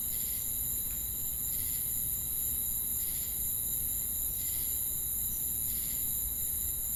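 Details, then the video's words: Shrill, unbroken insect drone from crickets and cicadas, punctuated by evenly spaced buzzy pulses around eighty times a minute, over a low constant rumble. "Crickets & Cicadas Chirping Sounds"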